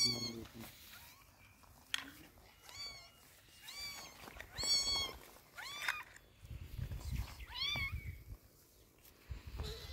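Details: Kitten being treated with eye drops for sore eyes, giving a series of clear, high, bending meows, some short and some drawn out, spaced a second or two apart, with soft rustling and low handling noise.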